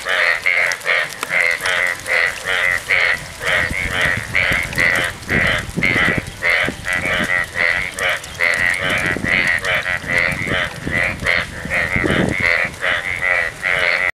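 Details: During the monsoon in Gaibandha, after heavy dawn rain, a frog croaks in a roadside ditch in quick, nasal, harmonic pulses, about two every second.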